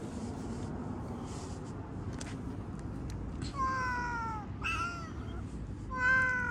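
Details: Domestic cat meowing indoors. After a quiet stretch of low hum, three drawn-out, falling meows come in quick succession, each with a clear harmonic tone. A final, louder meow closes the clip over steady background rumble.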